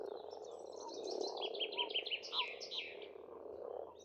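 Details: Frogs croaking in spring at a pond on an Estonian farmstead: a dense, continuous low rattling chorus, with a bird's short high chirps repeated rapidly above it.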